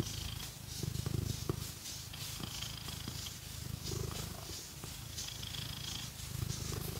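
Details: Cat purring loudly while being scratched, a deep pulsing rumble that swells and eases with each breath, accompanied by light scratching strokes and small clicks in a quiet indoor setting.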